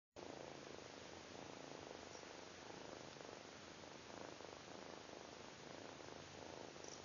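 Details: A Siamese-mix kitten purrs steadily while pawing and petting a chihuahua, a low rumbling drone that swells and fades with each breath.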